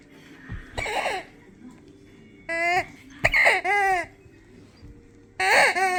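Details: Siberian Huskies howling, set off by their squeaky toy: a few short, wavering vocal bursts, each rising then falling in pitch, separated by quiet pauses.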